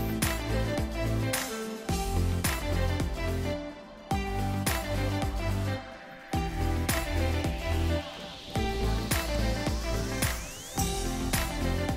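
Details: Loud upbeat pop music with steady drum beats and layered instruments, with no animal voices audible.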